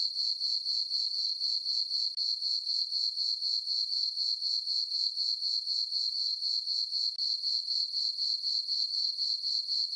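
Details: Crickets chirping on a peaceful summer night in a farm meadow under a full moon: a steady high-pitched trill pulsing about four times per second, with no other sounds.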